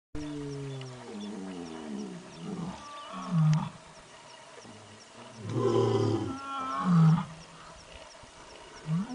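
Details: A tiger in forest near Pusad, Yavatmal, gives deep, rough roars and moans that slide downward, repeated in several bursts.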